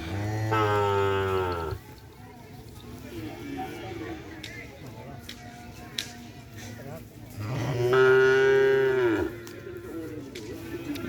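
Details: Newly acquired Madura racing cattle at its first training session at the Asemanis field. It gives two long, resonant moos about six seconds apart. Quieter voices and crowd chatter fill the gap between them.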